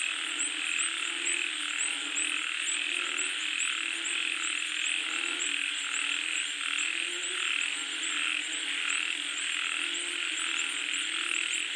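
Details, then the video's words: Frogs calling as rain comes down. Many voices blend into a thick, continuous chorus of low, rough croaks and a bright, rapid ticking trill, all over a constant rain-like hiss. "SUARA KODOK | Suara Katak Saat Hujan Turun"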